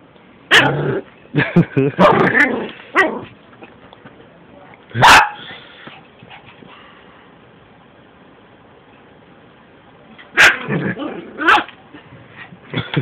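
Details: Yorkshire Terrier puppy going after a Shih Tzu, bursts of yapping barks and snarly growls at the start, a loud single bark near five seconds, then more yaps around ten to eleven seconds.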